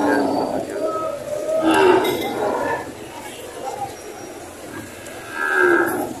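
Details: Cattle at a livestock auction in Lemery, Batangas, Philippines, on June 13, 2025, where breeding cows and heifers are sold. Drawn-out, low mooing rises and falls over a murmur of crowd noise, with faint clinks in the background.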